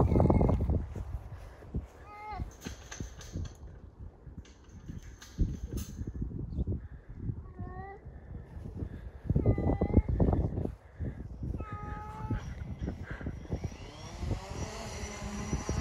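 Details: Domestic cat at a kennel cat fence, giving several drawn-out, wavering meows spaced a few seconds apart, over steady low rumbling, thumps and background voices.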